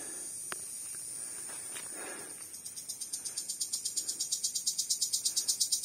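A cricket's high, rhythmic chirps start up and grow louder, pulsing about three times a second.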